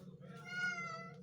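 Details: Cat (Felis catus), meow.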